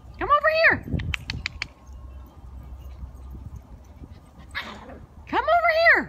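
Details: Italian greyhounds at play with the puppy next door, meeting it for the first time; two loud arched whining cries with rich harmonics, first and last, separated by short clicks and a quiet breathy stretch, and a woman talking just after.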